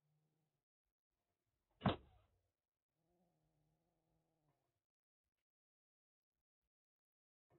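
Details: Rescued calico kitten named Aki, about one and a half months old, caged after straying in Kagoshima, Japan, before a typhoon, threatening with a hiss: one sharp explosive spit burst, then a low steady rumbling tone and quiet.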